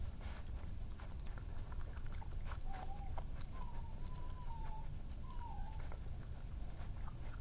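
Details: Young male badger, wild and injured, grooming after feeding, recorded 26 July 2018: a thin wavering whine that rises and falls in three short phrases near the middle, over steady crackly scratching and nibbling clicks and a low rumble.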